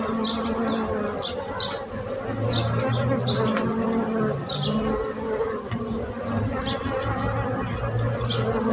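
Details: Continuous humming buzz of bees, several droning tones stacked together, while short chirping bird notes repeat faintly above the hum.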